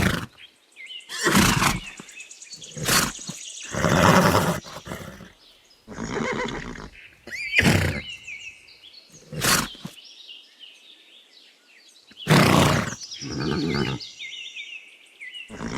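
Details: Horse neighing in a farm setting: several loud broadband whinnies with shaking, wavering upper tones, recurring every one to three seconds, separated by quieter gaps and some high tonal overlay.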